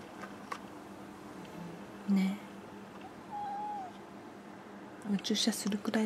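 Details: A pet cat gives a single drawn-out meow during morning greetings, rising slightly and then falling. Soft human speech comes before and after it.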